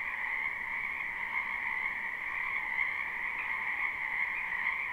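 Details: Frogs crowding a spring wetland behind a house, captured live without loops: steady massed croaking, bright high trills layered over a lower trilling band, with individual callers slightly pulsing within the dense chorus.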